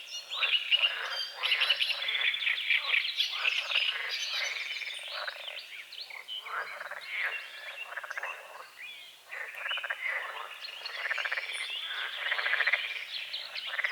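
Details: Morning frog chorus at a small forest-edge lake at dawn: many overlapping, fast, grating croaks layered thickly, rising and falling in loudness, with birdsong threaded through.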